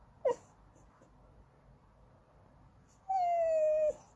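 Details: A Goldendoodle named Andy begs for snacks or petting. A tiny squeak comes first, then after a pause a single steady whine held for almost a second, drifting slightly downward.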